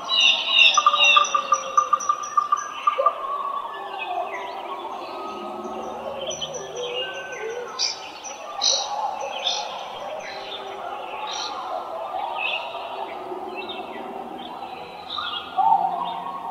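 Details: Coyotes (Canis latrans) in the wild howl, yip and bark together in a wavering, overlapping chorus of high, sliding notes.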